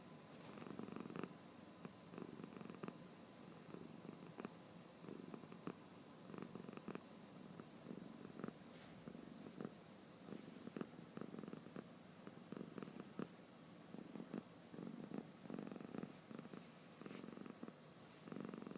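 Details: A sleepy cat with open eyes makes faint, rough snoring breaths in an irregular low rumble, less distinct against a quiet indoor background.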